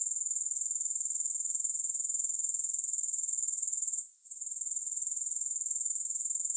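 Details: Steady high-pitched grasshopper chirring, fast and regular at about four pulses per second, with one brief hush partway through; no accompanying music or background noise.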